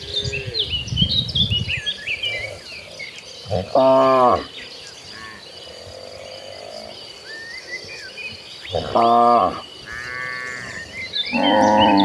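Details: Dozens of gentle cows walking toward a green pasture; three loud, harmonic moos of under a second each, around four, nine and eleven seconds, over steady insect buzzing and chirping birds.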